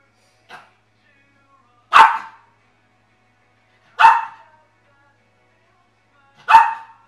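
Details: A dog named Joker, showing he dislikes the dish his food is served on, gives loud single barks spaced about two seconds apart, each sharp and short with a brief tail, after a faint softer yip; otherwise quiet.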